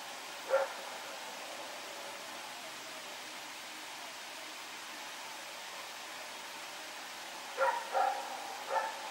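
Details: Rex, a dog, barking at night while running around, recorded September 21, 2018: a single bark, a long quiet stretch, then three quick barks near the end over faint background hiss.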